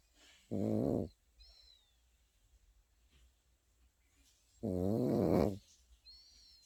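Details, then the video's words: Sleeping Pekingese puppy snoring indoors: two buzzy, harmonic snores, each lasting about half a second, spaced roughly four seconds apart, with quiet breathing between and faint high chirps in the background. "패키니즈 코고는 영상"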